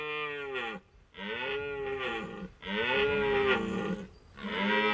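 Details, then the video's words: During the late-September rut in Hohe Tauern National Park, Austria, a red deer stag bellows repeatedly: three hoarse, rolling roars of about one and a half seconds each, swelling and then fading. "Red deer rut in Hohe Tauern national park, Austria"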